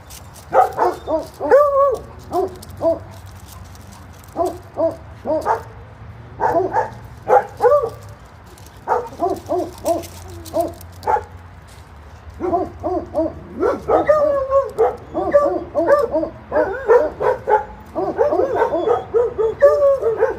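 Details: Several dogs at a doggy daycare bark in short, overlapping bursts, some yelping and some deeper, with brief lulls between.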